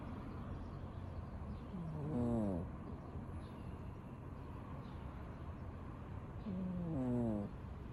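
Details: A domestic cat snores while asleep, giving two short buzzy breaths that bend downward in pitch. The breaths come nearly five seconds apart, with faint room hiss between them.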